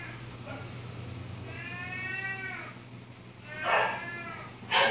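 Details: Domestic cat meowing: a drawn-out arching meow, then two shorter, louder meows close together toward the end, over a low steady hum.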